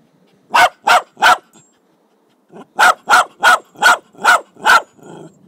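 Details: Barking Jack Russell Terrier, 26 July 2009: a group of three crisp barks, a pause, then six more in quick even succession, ending with a soft huffing breath.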